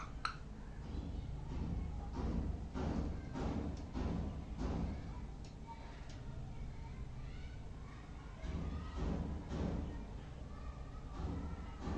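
Low thumps, bumps and muffled background noise with faint music or voices; no clear animal calls.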